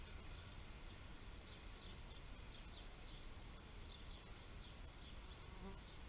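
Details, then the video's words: Bees buzzing in a steady, dense low drone that holds evenly throughout, with faint short high chirps scattered above it. "Bee therapy meditation nature sounds"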